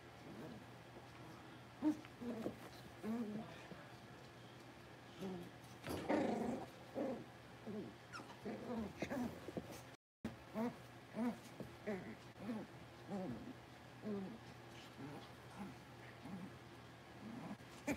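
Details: Blenheim Cavalier King Charles Spaniel puppies, a litter of five born around New Year's, at six weeks old in their home pen. Short whimpering yips repeat about every second in a steady run, with low background hum and faint voices.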